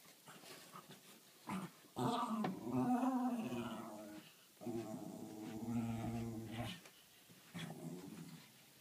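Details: Pet dog barking at a stone, a long series of harmonic growling barks and whines in bursts lasting one to two seconds, with short pauses between, indoors.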